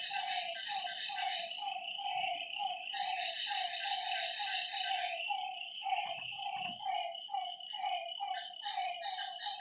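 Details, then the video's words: A night chorus of frogs beside a lake: rapid, evenly spaced croaking notes, a louder caller near the middle, a few low thumps, and a constant high-pitched insect drone. "Lakeside night creatures and frog sounds"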